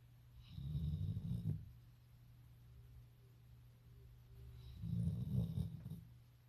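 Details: A sleeping Golden Retriever snores in deep, rumbling breaths, two long rasping snores a few seconds apart.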